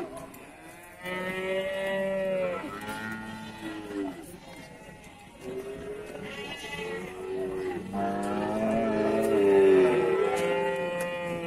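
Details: Several moos follow one another from cattle at Pasar Wage Bumiayu, an Indonesian livestock market; long tonal bellows, some sliding downward, overlap and alternate against steady crowd and market hubbub.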